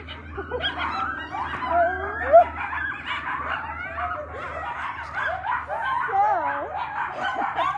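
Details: Several captive coyotes at a wildlife centre near an airport howl excitedly in response to a passing helicopter, a wavering chorus of rising and falling yips and wails over the low engine drone.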